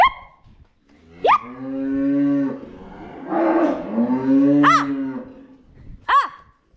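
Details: Herd of cows moving home: two sustained, deep, droning moos, with short sharp rising voices cutting in before and after and a rough breathy patch between them.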